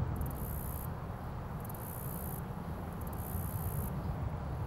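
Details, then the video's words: Cricket perched on a leaf in its natural environment, filmed up close: high, shrill trilled bursts of roughly a second, separated by brief pauses, four in all, over a steady low rumbling background. "Cricket Chirping"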